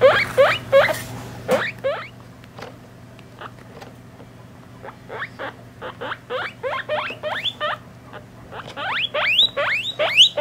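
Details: Three-week-old pet guinea pigs and their mother: bursts of quick rising squeaks, a quieter stretch of faint short chirps in the middle, then louder whistles returning, over a steady hum.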